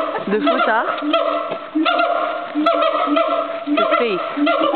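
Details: Captive agile gibbon singing at Fota Wildlife Park: a run of low hooting notes and quick upward-sweeping whoops, breaking off briefly, then more repeated hoots with sliding rises and falls.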